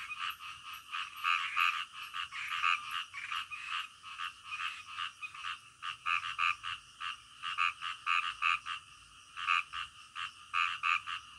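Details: Frogs calling at night, loud croaks bunched into short trains separated by brief lulls, multiple animals overlapping against a quiet, faint high hum.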